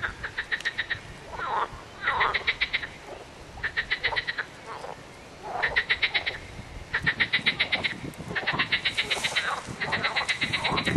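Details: Frogs calling: rapid rattling trills of evenly spaced clicks, each burst lasting about half a second and repeated in quick series, with softer, lower croaks between bursts.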